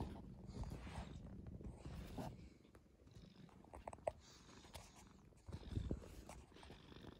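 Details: Gentle brown tabby tomcat kept indoors, rescued as a kitten in late spring 2015, gives a soft, even purr, a low buzzing drone rising and fading in waves, with a few light taps and shuffles.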